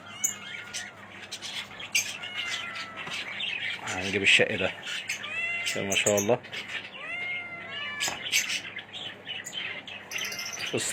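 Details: Young Himalayan kittens aged 45 days mewing repeatedly in high, thin, slightly arching cries while a person talks over them in admiring tones, voice and kitten calls overlapping.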